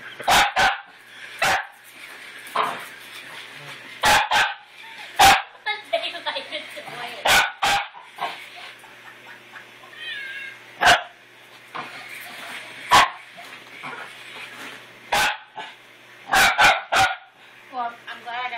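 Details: Pet dog freaking out and trying to kill his new toy puppy: sharp barks repeated in irregular bursts, with excited yips and whining between them, and a person's voice in the background.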